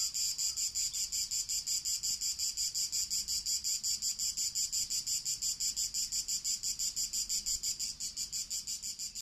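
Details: Early-summer cicadas recorded 28 June 2018, the season's first: a bright, high, rasping buzz chopped into even, rapid pulses nearly three each second, holding steady for the whole stretch with no other notable sounds.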